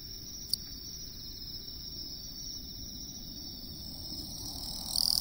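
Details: In the lowland plains of western Japan, a Western Japanese katydid sings a steady, high, buzzing trill that continues without pause.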